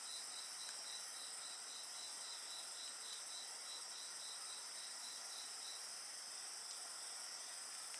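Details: Several insects calling by a bonfire: a pulsed high trill for about six seconds over a constant shrill ringing, with faint crackling from the flames.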